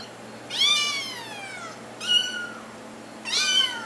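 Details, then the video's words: Kittens trying to get their owners' attention: three clear, loud meows about one and a half seconds apart, each starting high and sliding downward, in a quiet room. "Little Kittens Meowing"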